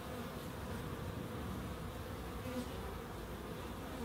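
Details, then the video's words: Bees in a small wildlife garden at an end terrace house in Crookes, giving a steady, droning buzz with a low hum and a clear mid-pitched tone running unbroken throughout. "1hr of Relaxing Bees"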